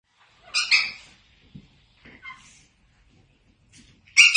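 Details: Chiweenie puppies: a couple of sharp, high-pitched yips, widely spaced with quiet gaps between them, plus a few soft shuffling sounds.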